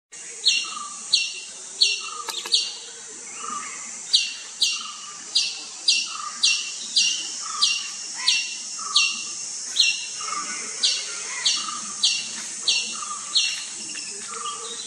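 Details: Indian palm squirrel, or three-striped palm squirrel, eating sapodilla fruit: high, sharp chirps repeated steadily about once every two-thirds of a second, each a quick bright burst, continuing for the whole stretch with faint lower tones beneath.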